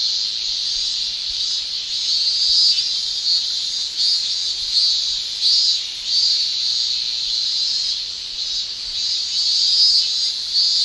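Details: Male cicadas shrilling through a Japanese summer: a sustained, piercing band of high buzzing that pulses irregularly in small bursts over eleven seconds, with nothing else audible.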